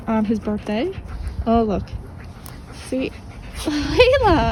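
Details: Playing German Shepherd puppies, Dodger and Arial among them, make quick rising-and-falling yips at the start, then a longer bent whine near the end, with gaps of near quiet between calls.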